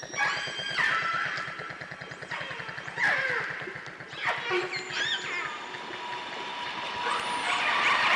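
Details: A group of orcas recorded underwater in Canada gives squealing, sweeping pulsed calls over the steady, throbbing drone of a boat engine, mixing biophony with human noise.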